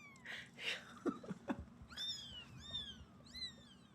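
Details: Rescued feral kittens, including two white ones, in a Los Angeles foster home, fussed over by Kodi, a cat who acts like their mother. Handling thumps and rustling come first, then three short, high meows, each falling in pitch.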